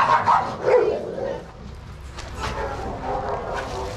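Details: Shelter dogs at play in a yard at Pima Animal Care Center, Arizona, supervised by trained handlers: two loud, quick barks open the recording, followed by lower, scattered barking and yard noise.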